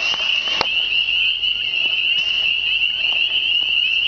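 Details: Spring chorus of countless hidden frogs by still water: unbroken shrill trilling at a steady high pitch, with a few faint clicks and light handling knocks behind it.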